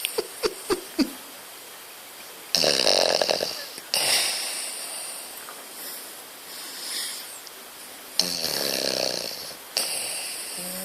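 A French Bulldog snores in loud, rasping, wheezy breaths, with a few soft clicks at the start.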